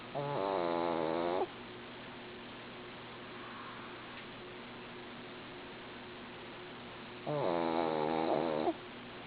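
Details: Female pet dog snoring in her sleep: two rattling, buzzy inhaled snores, each over a second long and roughly seven seconds apart, with near silence and low room hiss between them.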